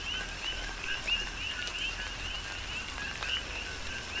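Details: Coqui frogs calling during a tropical rain shower on the Big Island of Hawaii; scattered two-part notes, a lower tone followed by a higher upswept chirp, over steady rain hiss and the ticks of falling raindrops.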